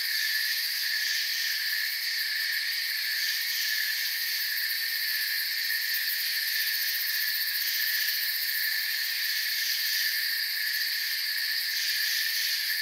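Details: A forest cricket chorus: continuous high, buzzy trilling in layered bands that holds a steady level throughout, with slight flickers of pulsing in the highest tones and no separate calls or other noises.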